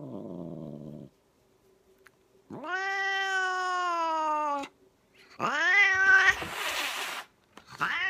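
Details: A cat in an angry mood gives a low moan, then a loud, steady, strained yowl of about two seconds, followed by a rising cry that breaks into a sharp, breathy hiss and a last short rising yowl.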